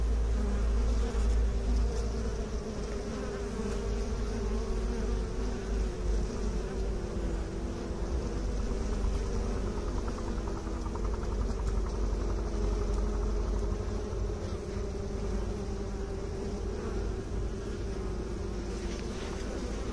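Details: Bees, with beekeepers mentioned, giving a continuous full-bodied buzzing drone, even in loudness, with a few slowly wavering hum tones over twenty seconds.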